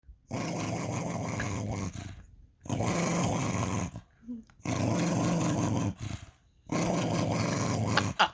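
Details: Pet dog "talking": long, harsh, growly grumbling vocalizations delivered in four sustained bursts of about one and a half seconds each, separated by short quiet pauses.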